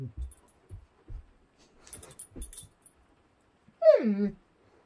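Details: A female Doberman dog trying to get a Bengal cat to play with her; several soft low thumps and muffled sounds, then near the end a single clear whine sliding downward in pitch for about half a second.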